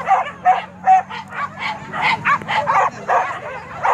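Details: Dogs chasing wild boar during a hunt in Kayu Ampek, Tanah Datar, bark in a quick yelping series, spaced at first and then crowding into denser overlapping barks as more voices join, with a low hum beneath.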